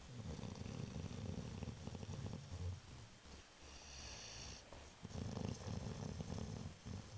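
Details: Sleeping pet dog Babu snoring with a continuous low, rattling rumble that pauses briefly midway before resuming, steady and quiet against a soft hiss.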